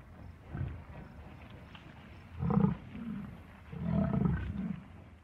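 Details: American bison growling in deep, rumbling grunts, three main pulses with the middle and final ones loudest and longest, over a faint steady background hiss.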